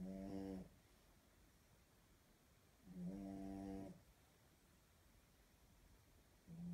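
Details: A French Bulldog snores while holding a ball in its mouth. Two buzzing, tonal snores about a second long are spaced roughly two and a half seconds apart, with a third beginning at the end. The background is quiet and low-pitched.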